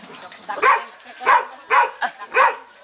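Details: Belgian Shepherd puppy yapping four times in quick succession, short bright barks spaced roughly half a second apart over a steady background hiss.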